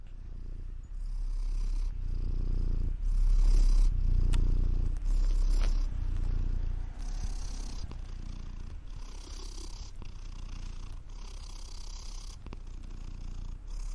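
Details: Cat purring as a low continuous rumble with loudness swelling and easing over fourteen seconds, with occasional clicks and faint higher hiss mixed in.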